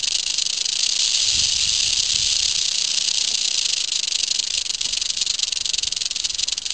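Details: Western diamondback rattlesnake encountered in summer, rattling its tail: a continuous dry, hissing buzz held steadily without pause, with a faint low rumble near the start.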